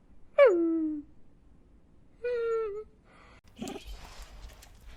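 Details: Dog whining and crying: a high whine that drops steeply and trails off, a pause, then a flatter whine of about half a second, followed by faint scuffling noise.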